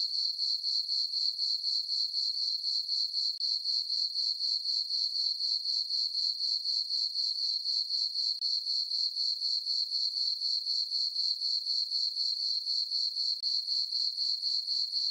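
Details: Nighttime crickets in a moonlit summer farm meadow keep up a shrill, unbroken trill, regular pulses coming roughly four per second for the whole stretch, with nothing else audible.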